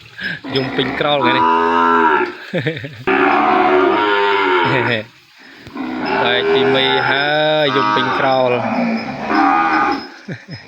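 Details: Calf parted from its mother and held away from her in a pen, calling out for her: two long, loud, continuous bawls with wavering pitch, each lasting several seconds, with a brief pause between them.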